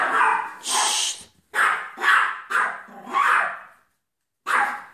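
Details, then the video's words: Miniature poodle barking at home while a mouse is being chased out; a run of sharp, high yappy barks, about five in quick succession, a short pause, then one more bark. "TRYING TO GET RIDE OF A MOUSE!!!"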